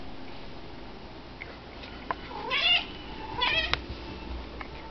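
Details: House cat indoors, eager to get outside to a squirrel, gives two brief high chirping meows with wavering pitch about a second apart, over a low steady room hum.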